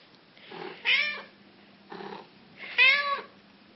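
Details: Yellow-eyed black cat calling repeatedly: soft short mews alternate with two louder, drawn-out meows that rise and fall, about two seconds apart, over a faint steady hum.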